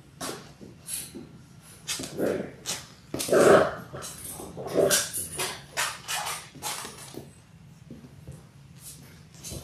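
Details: Six Labrador Retriever puppies, six weeks old, indoors: playful short grunting barks and growly yips repeated irregularly among scuffling and rustling noises.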